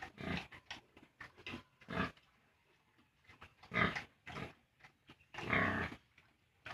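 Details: Piglets 32 days old, being separated from their sow at weaning on a farm, make short rough grunts and a few sharper squeals in irregular bursts, with quiet gaps between them; the loudest squeals come near the end.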